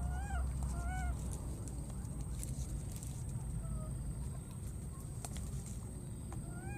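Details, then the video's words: A wild baby monkey, looking for its friend after crossing water, gives repeated arched tonal cries with stacked harmonics, a few quieter ones midway, with rustling and clicks over a low rumbling background. "this cute baby monkey keeps looking for and calling for his friend"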